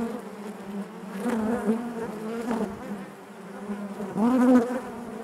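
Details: Honey bees humming in the hive: a low steady drone with harmonics, a dip in loudness midway, then a single bee buzzing close with a slight upward then downward pitch bend near the end.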